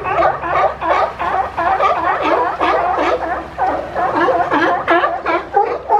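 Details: Monterey Bay sea lions, an influx of animals crowding and climbing over one another for room to rest; loud raspy barks come in quick uneven bursts, many voices overlapping, harsh and throaty.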